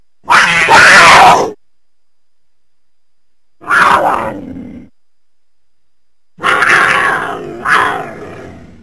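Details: Cougar, North America's biggest feline: three harsh, breathy hissing or spitting bursts, each about a second long and separated by silent gaps of two to three seconds. The last burst has a second push.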